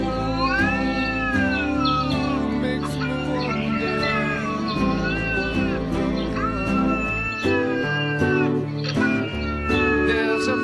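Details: Domestic cat giving a string of drawn-out, wavering meows, some rising then falling and a few harsher caterwaul-like cries, all set against steady, loud soothing instrumental music with a plucked rhythm.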